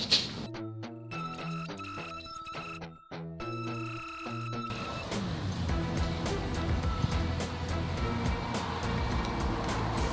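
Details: Music plays throughout with steady tonal notes and beats, later joined by a dense, noisy band of sound; no animal voice is heard.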